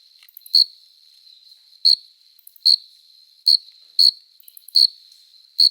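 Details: Summer-night courtship song of a male cricket stridulating with its forewings: seven bright, piercing chirps arriving roughly every eight-tenths of a second, with a soft constant ringing tone between them.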